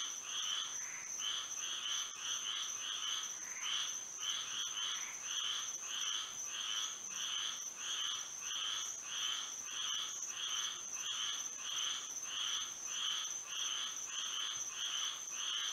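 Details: Florida frogs singing in the moonlit night, overlapping callers producing rhythmic raspy croaks in steady rapid bursts, with a constant shrill insect-like tone running beneath.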